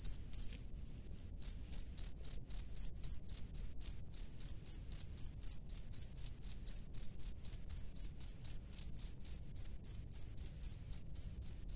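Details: Male cricket at its nest calling the female, opening with a brief trill then a steady series of crisp high chirps, close to four each second, loud and regular against a quiet background.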